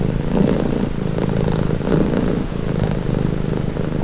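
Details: Relaxed cat purring near the microphone, a dense low rumble with faint breathy swells, otherwise quiet.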